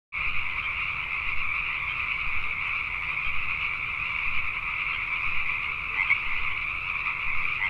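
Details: Pacific tree frogs calling at night in Richmond, British Columbia, Canada: a dense, unbroken chorus of many frogs, a steady, shrill, pulsing drone with no pauses, and a few louder single croaks rising above it near the end.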